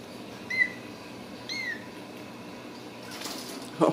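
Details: Ragdoll kittens raised cage-free in a home cattery in central Kansas give two short high squeaks about a second apart, each bending up then down, with a gentle voice soothing them and a rustle at the end.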